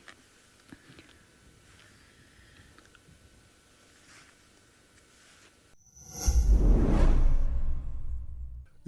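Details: Low, steady background hiss that gives way to a loud rushing whoosh and rumble, with no animal sound.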